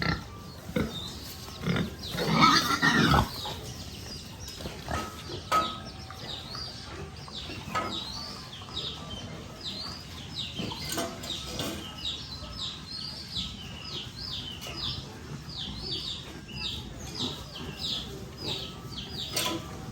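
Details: Piglets on a rural pig farm: one loud drawn-out squeal early on, then a long series of short, high squeaks and grunts repeated about every half second, over steady farm background noise.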